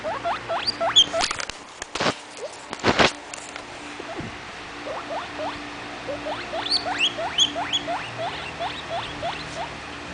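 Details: Young pet guinea pig wheeking: a fast run of short, squeaky, rising whistles, several per second, with brief rustling and clicking bursts near the start.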